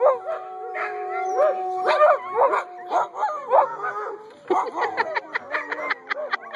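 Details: A litter of puppies, eight weeks old, in a chorus of drawn-out harmonic howls and rising-falling whines, broken up by rapid, choppy yelps toward the end.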